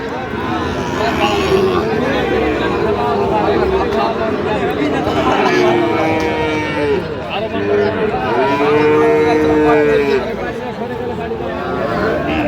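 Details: Sahiwal bull calves at a Dhaka livestock market, Bangladesh, 28 November 2025; several sustained, slightly arching moos in succession, the loudest near the end, under steady crowd talk and bargaining voices.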